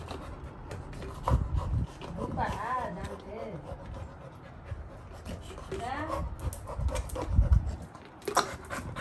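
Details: Little John, a Labrador retriever puppy, gets excited as a paw ball is shaken, giving arching, rising-and-falling whines in two bursts over soft panting, with a person talking in Tamil nearby.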